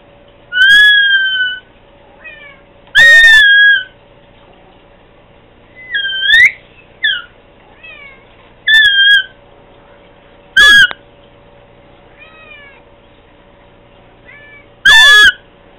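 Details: Pet cat meowing to Candy, a string of clear, high, tonal meows, some flat and some curling upward, spaced two to four seconds apart, with brief soft chirrups between them over a constant low hum.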